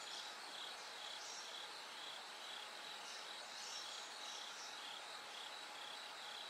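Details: Bell crickets singing through the night toward dawn as the sky gradually brightens: high, clear chirping bursts repeated about twice a second over a steady hiss of insect noise.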